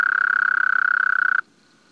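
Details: Frog calling with a rapid, evenly pulsed trill at one steady mid-high pitch, lasting about one and a half seconds before stopping abruptly, followed by near silence.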